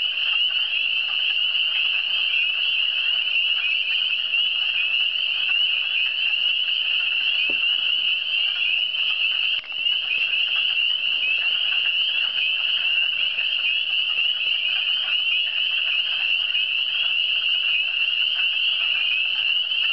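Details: Frogs calling in the Eastern Townships: a dense, unbroken high-pitched chorus of overlapping trills holding steady throughout, with a single faint click near the middle and no other clear sounds.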